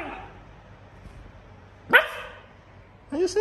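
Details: A pet Siberian Husky, indoors and reacting to going outside, gives a single short, sharp bark midway. A person's talking voice comes just before and after it.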